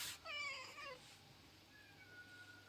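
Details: Female house cat sulking after her massage is refused, giving a soft, falling, whiny meow with a clear tonal stack, preceded by a brief noisy burst; a thin faint whistle-like tone lingers afterward in a quiet room.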